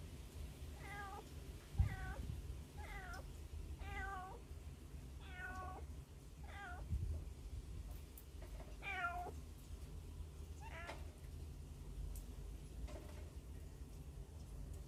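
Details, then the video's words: Hungry baby cats crying from inside a hole, several kittens; repeated wavering high mews, roughly one every second or two, rising then falling, over steady low background rumble. "배고픈 아기 고양이 울음소리"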